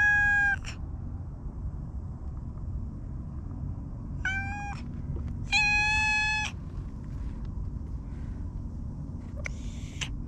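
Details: Four separate meows from the stray cat Hige Danshaku in a park: short, clear and tonal, the third longest and steadiest, the last softer and breathier, with long pauses and low background hum between.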